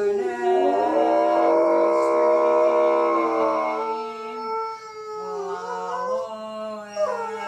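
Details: Golden retriever howling along as its owner sings "Climb Every Mountain"; long, wavering, tonal howls blend with the human voice, holding steady pitches and sliding between notes.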